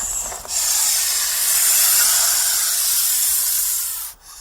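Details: One continuous hiss from a snake that feels threatened or frightened: a loud, steady rush of high, airy noise, like wind whistling through a narrow crack, holding almost unchanged for about four seconds.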